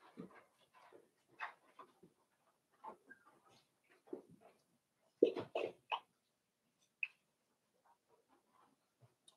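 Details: Five-week-old Cavalier King Charles Spaniel puppies in an indoor puppy pen, giving soft scattered whimpers and squeaks, short bursts spread over several seconds with quiet gaps, a sharper cluster of cries near the middle.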